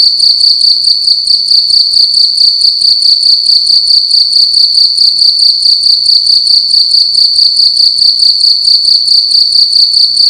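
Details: Cricket calling at night inside a room, a loud, shrill, high-pitched chirping made of rapid pulses grouped into short bursts that repeat steadily for the whole stretch, with a faint low hum underneath.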